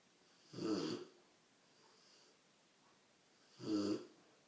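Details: A big Rottweiler puppy snores in two rough, rattling breaths about three seconds apart.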